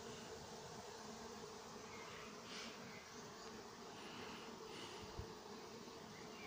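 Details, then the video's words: Working honey bees at a Nowa Aleksandria apiary, summer 2021: constant buzzing drone with a steady mid-low band, brief brighter bird chirps around the middle and a single sharp knock near the end. "Nowa Aleksandria pasieka pszczoły pracują lato 2021rok."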